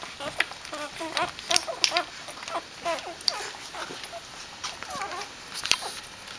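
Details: Dobermann puppies greeting their mother Jessica as she returns from a walk: a busy run of high, wavering whines and yelps, overlapping and irregular, with scratching and clicking noises throughout.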